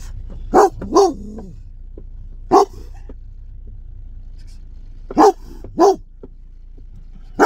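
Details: German Shepherd barking aggressively, a menacing voice said to frighten people in the street: short harsh barks, a quick double bark near the start, then isolated and paired barks with silent gaps between.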